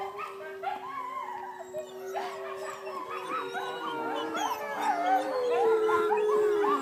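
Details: Several wolves at a sanctuary howl together, long smooth tones rising and falling and overlapping into a chorus; Siberians and Malamutes are also kept there.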